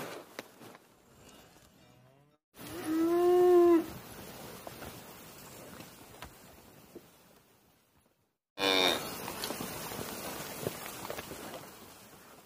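A cow gives a loud, drawn-out moo, followed later by a second harsher bellow.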